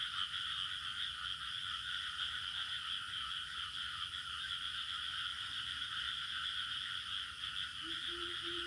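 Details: Steady village ambience dominated by cricket chirring: shrill continuous trill, slightly pulsed, layered over a lower droning chorus; a few short low beeps repeat near the end.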